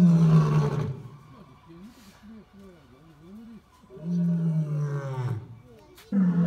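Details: Lion roaring, the deep steady moans strongest at the start and again midway, with softer wavering, undulating low tones between them and a sudden loud call at the close.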